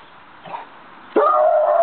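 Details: Maremma Sheepdog giving one sudden, loud, tonal whining yelp that holds a steady pitch for about half a second, after a quiet start with a faint murmur.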